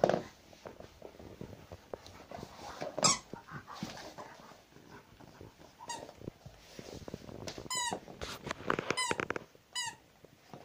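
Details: Indoor recording of Zhenya, a household Rottweiler: after rustling and handling noise, a few sharp squeaky whines, then a closing run of three or four high, downward-sliding yelps a second or so apart.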